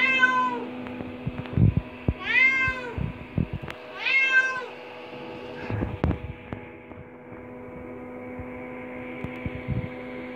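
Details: Five-year-eight-month-old indoor cat exploring a bathroom gives three rising-falling harmonic meows in the first five seconds, followed by scattered knocks, tapping and quiet room noise.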